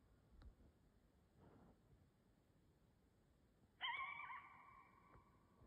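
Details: A coyote in Canada gives a single clear, wavering howl after a few seconds of near silence.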